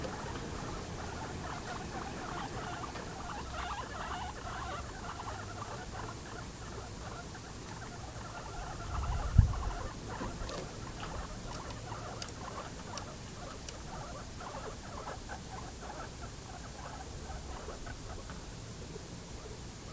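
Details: Household guinea pigs giving a steady stream of short, soft pulsed notes at roughly three or four a second throughout, broken by one sharp knock near the middle and a few faint high ticks afterwards.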